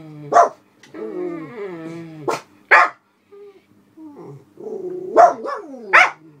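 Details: Two older black Miniature Poodles at a window guarding the house while a passer-by walks another dog outside. A whine of stacked harmonics, then loud separate barks spaced irregularly, with a few softer yips between them.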